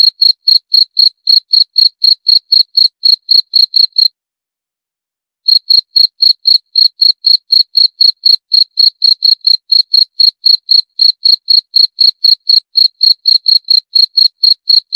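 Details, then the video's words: Quick, shrill cricket chirps pulse about four times a second, break off for a short silent pause after four seconds, then carry on evenly to the end. "28 Menit Suara Jangkrik - 28 Minutes Cricket Sound Effect"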